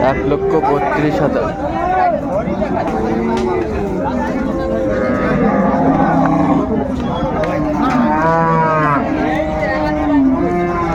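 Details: Cows with calves at Ambari Haat livestock market, Dinajpur, on 24 May: several overlapping low, drawn-out moos with rich harmonics, some rising then falling, over steady crowd chatter and market bustle.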